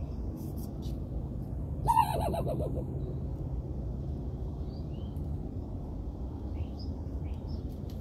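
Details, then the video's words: One raspy raccoon bark, a quick downward-sliding burst, followed by quiet with continuous low hum and occasional faint bird chirps. "You Won't Believe this Raccoon can Bark"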